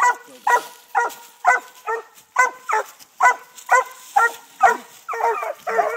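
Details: Puppies of the Treeing Walker Coonhound breed, aged six months, tree a live-trapped raccoon in Texas hunting training. Sharp, tonal barks come about two per second in a fairly steady rhythm, a few doubled.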